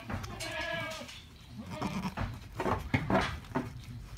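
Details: Alpine goat giving birth to triplet kids; a short harmonic bleat opens the recording, followed by softer rustling, low murmurs and quiet human voices nearby.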